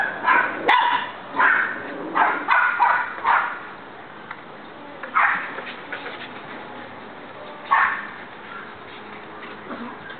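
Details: Female Border Collie named Bella, learning to play with her soccer ball, gives a run of loud, broad barks, several close together at first, then spaced singles a few seconds apart, with steady low background noise.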